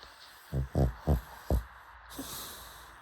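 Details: A pug snoring: four short, low, rough snorts in quick succession, each a brief throaty burst, followed by quiet breathing and a faint hiss.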